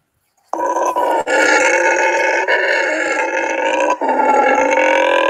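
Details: Howler monkeys at a rescued-wildlife sanctuary give a loud, sustained, rasping roar without a break; groups there start calling around 4:30–5 a.m. to mark their territory against other groups.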